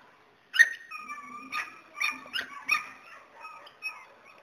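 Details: Border Collie whining after a spell of quiet: a thin, high, slightly wavering whine, then several short nasal yelps with a mid-pitched tone under them, ending in softer whimpers.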